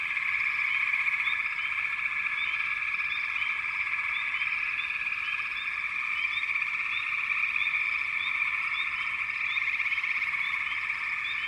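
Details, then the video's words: Frogs calling in a dense, continuous chorus: a steady high buzzing drone with scattered short, bright chirps rising above it throughout. "canto de Ranas"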